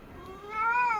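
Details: Domestic cat producing a thin meow that rises, swells and then falls away, preceded by a faint, quieter start.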